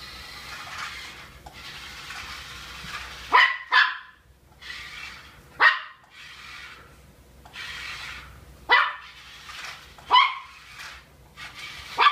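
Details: Miniature Pinscher puppy, a pet indoors that is scared of small dolls, gives sharp high yapping barks, singly and in quick pairs, about six over twelve seconds, over steady hissing background noise.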